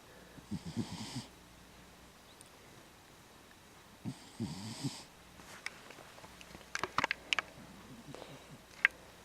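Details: A male cat snoring in his sleep, a long-standing habit for him. Two rattling, low snoring breaths with an airy hiss come about three and a half seconds apart, followed by scattered clicks and light handling noises.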